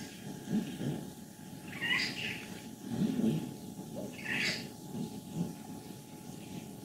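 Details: Fourteen-year-old female cat in Leutkirch im Allgäu, Germany, happy and healthy, alternating low rumbling grumbles with two brief rising squeaks.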